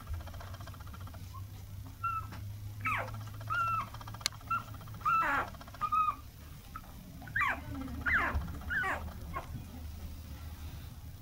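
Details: Toy Poodle puppy, an apricot female born on 28 November, makes short high squeaks and little yelps in scattered bursts over a steady low mechanical hum.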